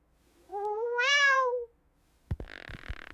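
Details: Domestic cat meowing at dawn, a learned behaviour tied to past rewards such as being fed; one long, tonal meow that rises then falls, followed by a few soft clicks and rustling.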